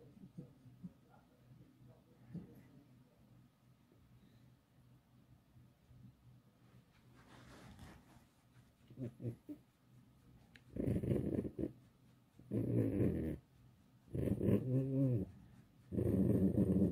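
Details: Pet fox Alice in a quiet room, mostly soft rustles and faint breaths at first, then four loud, nasal, moaning complaints of about a second each, spaced roughly two seconds apart, some with a trembling warble.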